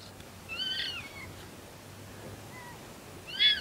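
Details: A local red fox in Conifer, Colorado, barks in the morning: two loud, strained, arching yelps, the second louder, with a faint short call between them and quiet hum beneath.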